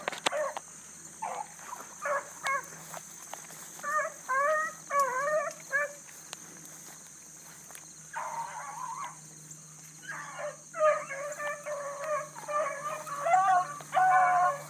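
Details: Bluetick coonhounds running a big rabbit early on the morning of 22 July 2012, a new pup among them; hound voices in ragged bursts of bawling bays with wavering pitch, broken by quiet gaps, a steady high hiss throughout.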